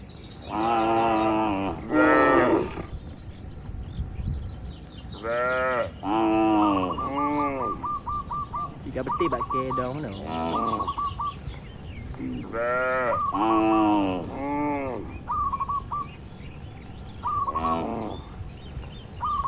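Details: In a quiet rural oil palm plantation in Indonesia, herded tame cattle moo again and again, paired drawn-out lows in clusters. A bird's quick high repeated notes come between the calls.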